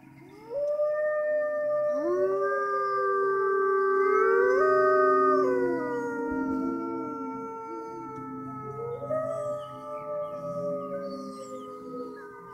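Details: Group howl from wolves in the Toronto Zoo's Canadian Pavilion around closing time: voices enter one after another with upward slides, forming layered sustained tones that fade and waver toward the end.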